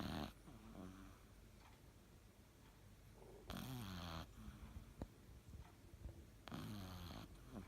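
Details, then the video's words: A Cavalier King Charles Spaniel snores while napping indoors. Rough, breathy bursts recur about every three seconds, with soft low rumbling in between. "いびきかいてお昼寝time キャバリア"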